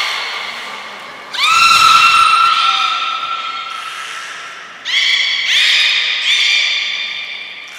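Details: Beluga in an aquarium pool at Nagoya Port Aquarium, 18 February 2024, around fish feeding and play time; two loud, bright whistled calls that rise quickly and then hold a steady pitch. The second sounds in several overlapping bursts, with faint background murmur.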